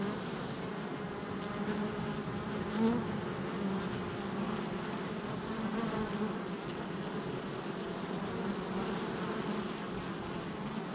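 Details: Steady collective drone of honey bees flying at a hive entrance on July 22nd, 2024, even and unbroken for the whole stretch, with one faint swell near the third second.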